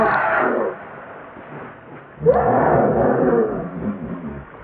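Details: Baby monkey named Leo crying to beg its mother for milk: two loud, wailing, harmonic cries, each starting high and sliding downward, the first brief and the second longer, separated by a quiet gap of low background noise.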